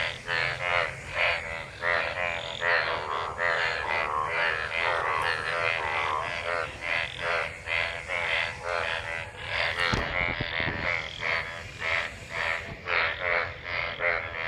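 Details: Many frogs calling together in rain-gathered water after monsoon rain, mating; dense overlapping chorus of pulsed croaks with harmonic stacks, calls repeating roughly every half second, one brief thud near the middle.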